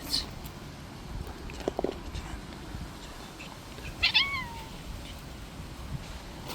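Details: A single brief, downward-sliding meow from a stray cat that plays too rough, preceded by a couple of soft clicks and set against faint, steady background noise.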